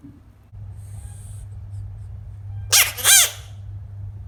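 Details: A baby frog gives two loud, harsh, wailing screams in quick succession.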